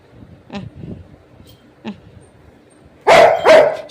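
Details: Pet Rottweiler indoors, described as unusually playful and mischievous, gives two loud broad barks close together near the end, after quieter faint sounds and a woman's voice.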